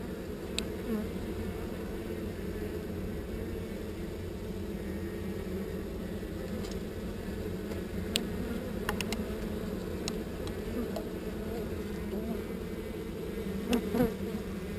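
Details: Honey bees from a swarm being moved to a new location hum in a continuous, even drone, layered in low bands, with scattered light clicks and taps over it.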